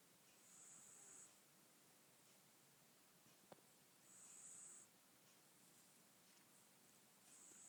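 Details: Mogwai, an albino Pekingese puppy, snores and stretches. Faint, thin, hissing, whistle-like snores rise and fall about every three and a half seconds in a quiet room, with one small click midway.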